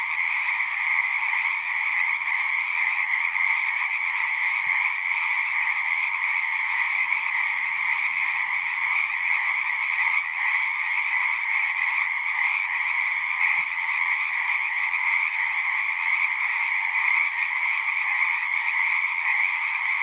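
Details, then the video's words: Natural night-style frog chorus: a constant, dense blend of many singing frogs, shrill pulsing trills layered into one unwavering hum, with a couple of faint soft clicks in the background. "One hour of singing frogs."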